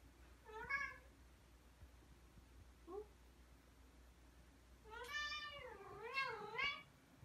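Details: A Ragdoll cat, one of two (aged 2 years 10 months and 2 years 6 months) that come over as soon as their owner takes a break, gives a short meow, a tiny chirp, then two longer wavering meows.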